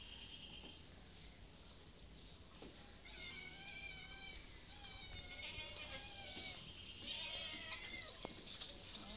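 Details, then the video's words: Three hungry cats outdoors in the afternoon, still meowing after finishing their food while waiting: overlapping high, wavering meows from several animals, faint at first, then continuous from three seconds on, with a hiss of background noise. "Cats are very hungry waiting for me."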